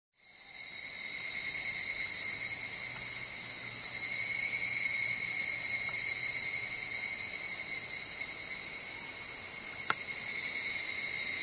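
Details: Cicada song, a loud, high, sustained buzzing drone barely varying in pitch, recorded 8 Aug 2020 at Gaikotsu-yama, Japan; the Minmin cicada shown is a placed carcass, and the background calls are not Minmin cicada.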